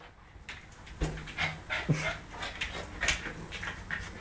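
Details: Indoor play-fight between a ten-week-old Siberian Husky puppy and a one-year-old German Shorthaired Pointer; rhythmic airy pants roughly every half second, a short low growl, a faint whimper and a steady low background hum.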